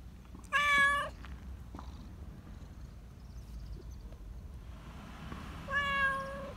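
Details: Affection-seeking black Persian cat, a community cat kept in a park, lets out two loud, flat, sustained meows about five seconds apart with quiet outdoor background between them.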